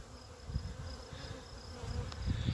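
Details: A Western honey bee (Apis mellifera) swarm that has just left a beekeeper's hive and is settling in a tree gives a steady, low droning hum, with gusts of wind rumbling underneath.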